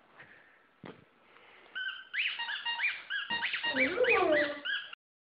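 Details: White German Shepherd female howling at her favourite squeaky ball toy, a rising and falling wavering howl with stepped pitch, preceded by a toy squeak and a thump, ending abruptly.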